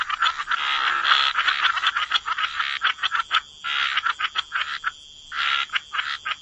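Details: A wetland frog chorus at the water's edge: crowded, buzzy croaks tumbling over one another, then breaking into separate short bursts near the end, a faint constant high whine behind.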